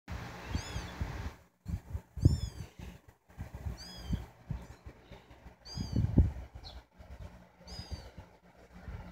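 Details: Domestic mother cat with her three kittens, indoors; high, thin arched mews repeat at irregular intervals, about one every few seconds, over low thumps and handling noise.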